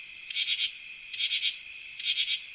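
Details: A common true katydid, an eastern North American insect, sings by rubbing its wings together (stridulation), giving harsh, raspy bursts of three quick pulses repeated almost every second.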